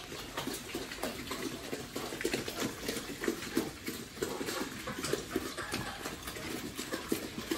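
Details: Family-raised farm pigs grunting in short repeated bursts, several grunts overlapping, with splashing water and background clatter throughout.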